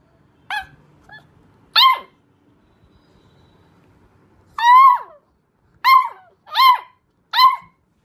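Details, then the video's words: Puppies howling for the first time: six short, high, wavering wails with strong overtones, each bending downward at the end, spaced about a second apart, with quiet gaps and faint low rumbling between them. "Cute Puppies Howling For the First Time"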